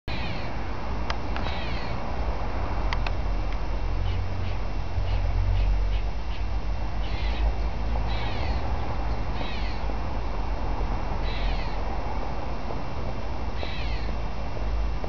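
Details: A squirrel first mistaken for a crying baby gives short, strained, rasping screams, each under a second, repeated at uneven gaps of one to three seconds over a steady low rumble of background noise.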